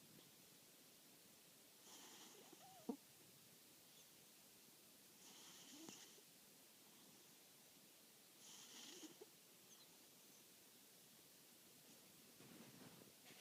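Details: Sleeping pet cat snoring quietly, a soft raspy breath repeated about every three to four seconds, four times, each with a brief airy hiss; low steady room hiss in between.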